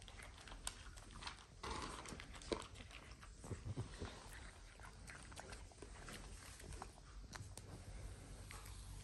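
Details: A hungry female French Bulldog puppy snorts, snuffles and gives brief whimpering grunts in bursts while chewing her foot, with a Boston terrier nearby wanting her food; recorded 1 May 2021.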